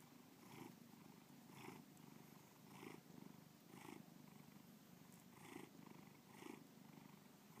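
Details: Domestic cat named Bubba giving a close, steady purr: rumbling low buzz broken into regular pulses a little faster than once per second as inhales and exhales alternate.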